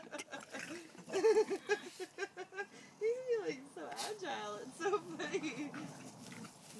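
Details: Two pet dogs, a bulldog and a basset hound, play fighting in an epic mock battle; grunting, snorting growls and short whining yelps come in irregular bursts, with a person's voice mixed in.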